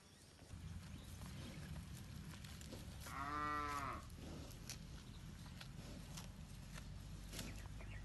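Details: One long moo from free-roaming village cattle grazing in a wide rice field, rising and falling once near the middle, over steady low rumbling background noise and scattered faint clicks.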